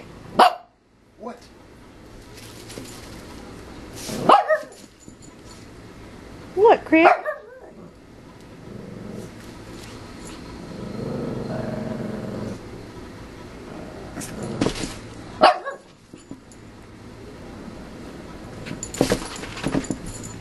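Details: Excited Shih Tzu puppy Yogi bouncing off the walls of her playpen indoors while another dog, Cricket, watches; a few sharp, short barks ring out between long quieter stretches, with a woman talking softly in the background.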